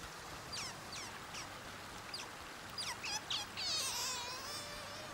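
A sea otter gives quick, high, downward-sliding squeaks, ending in a longer wavering squeal.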